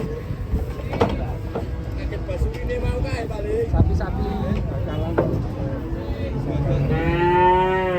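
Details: Cattle coming down from a truck; after noisy shuffling and voices, a long, rich, harmonic moo swells near the end, with background music.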